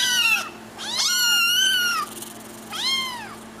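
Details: Small kitten meowing for attention: three high, bright meows in quick succession, the middle one longest, each arching up and sliding down.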